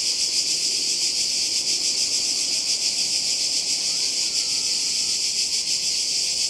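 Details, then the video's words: Croatian seaside cicadas in summer 2020 producing a loud, constant high buzzing drone with fast rhythmic pulsing; a brief rising-then-level whistle, possibly a bird, appears partway through. "Kroatien Zikaden und Meer"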